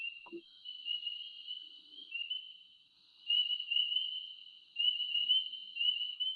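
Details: A dense Spring Peeper chorus in Kentucky, high, piercing whistled peeps blending into a continuous shrill ringing; among the earliest-calling frogs, on warm rainy nights, loud enough to hear over a mile away. Finding: Spring peeper.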